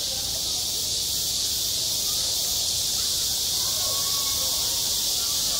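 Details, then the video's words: Cicada song from a school playground in midsummer, a continuous piercing buzzing chorus at even volume, with faint lower tonal traces in the background. "한 여름 운동장에서 매미가 울고 있다 - 여름의 소리, 학교 종소리, 매미 울음소리"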